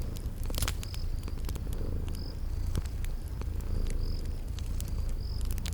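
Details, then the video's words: A continuous deep, throbbing purr from sleeping kitties, overlaid with scattered fireplace crackles and brief high-pitched cricket chirps in a cozy spring garden ambience. "Relax with Cute Sleeping Purring Kitties"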